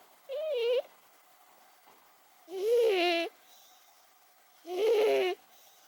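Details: Momo, an aged 18-year-old cat, snoring in her sleep: three wavering, whiny, tonal snores at two-second intervals, the first short and thin, the later ones fuller and longer, with a quiet room behind.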